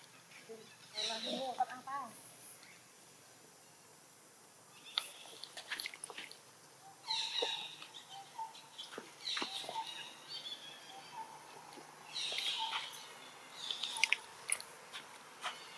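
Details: A baby macaque in Siem Reap, Cambodia cries in its loudest shrill, high-pitched bursts, calling for its mother for help because another young monkey is playing too roughly with it.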